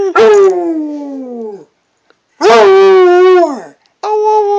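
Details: Long, full-throated howls from a Redbone Coonhound, each about one and a half seconds, wobbling slightly in pitch and fading downward, with a third howl starting at the end.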